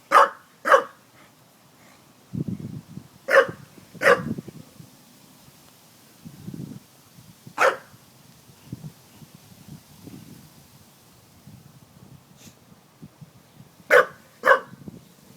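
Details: Dog barking at a water jug: sharp barks in irregular pairs and singles spread over the recording, separated by soft low rumbling grunts and quiet gaps.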